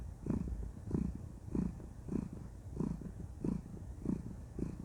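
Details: Cuddled female cat purring contentedly, with steady low vibrating pulses rising and falling about once every 0.6 seconds, close and clear and free of other noise.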